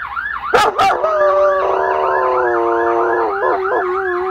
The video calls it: German shepherd howling